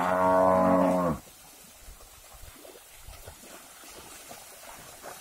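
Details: One loud, full, steady moo lasting about a second, from a cattle herd being moved across a river to new pasture; then only quiet background rustle.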